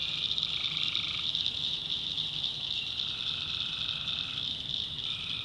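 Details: Backwoods North Carolina swamp after dark, with tree frogs in full chorus; a piercing steady drone underlies a lower trill at the start and a longer one of about one and a half seconds midway, another starting at the end.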